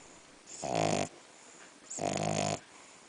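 A French bulldog snores in loud, rasping breaths, each lasting about half a second, with short quiet gaps between.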